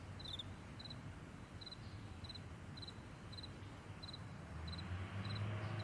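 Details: Crickets in the morning on a wide meadow: faint, high, clipped chirps repeated about three or four times per second, partly masked by a low droning rumble that grows louder at the end.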